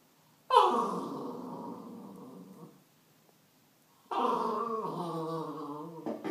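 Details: Corgi puppy talking to a baseball bat: two long, harmonic, moaning growl-howls, each about two seconds, falling at the start, with a silent pause between them.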